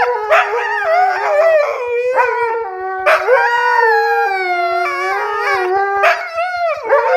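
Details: Two Siberian huskies arguing, trading loud drawn-out howls and yodelling whines that bend up and down, overlapping in several bursts with brief breaks between them.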